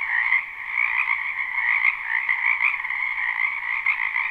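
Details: Spring wetland frog chorus recorded live without looping: countless overlapping croaks merge into an unbroken buzzing drone, the loudness pulsing irregularly, and no other animals or human noise heard.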